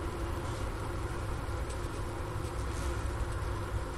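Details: Wintering honey bee cluster, Ohio State University Wooster campus, late afternoon January 16, 2024, 15°F outdoors; recorder set by the inner-cover hole next to sugar-brick remains. An unbroken deep drone with a few faint higher hum bands throughout.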